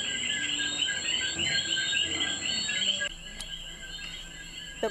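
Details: A dense night chorus of common coqui tree frogs in Puerto Rico, with a steady high insect trill above it.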